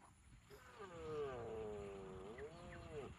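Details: Cow lowing in a long, steady, tonal call of over two seconds that dips and rises slightly near its end, with a faint low rumble behind it.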